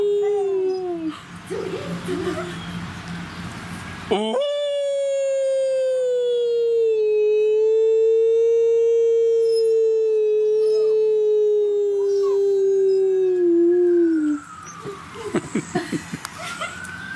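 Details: A young wolf pup, eight weeks old and kept at a zoo where it is being socialized, gives one of its first howls: one long, smooth, gently falling tone lasting about ten seconds, with rustling and faint voices before and after.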